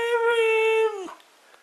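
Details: Mishka, a talking Husky, gives one long steady howl-like tone that holds level for almost a second, then drops and fades away; the sound is clean, with no other noise.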